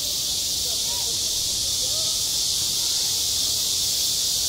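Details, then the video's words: Continuous shrill hissing of cicadas over a school playground in midsummer, steady in pitch and loudness, with a few faint distant voices low in the mix. "한 여름 운동장에서 매미가 울고 있다 - 여름의 소리, 학교 종소리, 매미 울음소리"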